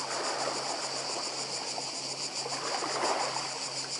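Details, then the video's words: Cicada chorus on Croatia's Badija Island in 2024: a continuous high, rapidly pulsing buzz above loud washing sea waves, with a faint steady low hum throughout. "Cykady i szum morza w Chorwacji"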